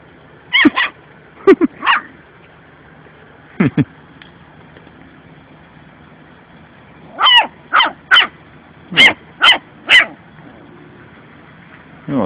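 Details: Rebel, a puppy, playing and trying to act tough with the cat indoors: short sharp yappy barks, a few scattered early, then a quick run of about six barks in a row, with a low background hum.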